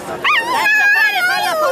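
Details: Cavalier King Charles Spaniel calling its female owner. It gives a sustained, drawn-out whine that starts with a quick upward yelp, holds steady, then wavers and slides slowly downward at the end.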